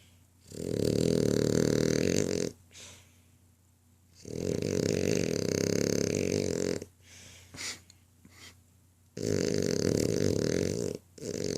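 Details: A male French Bulldog snores in long, rattling, buzzy breaths, each lasting about two seconds.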